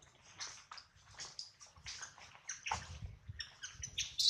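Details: Baby monkey Adler, missing his mother and hungry, cries while held by a small monkey: a rapid run of shrill, high squeaks and chirps in short bursts, with low thumping handling noise underneath.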